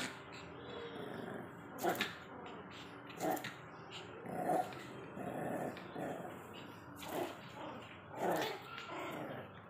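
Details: A mini Pomeranian at play gives short, gruff growls and yappy barks in bursts about every one and a half seconds, with a low hum underneath throughout.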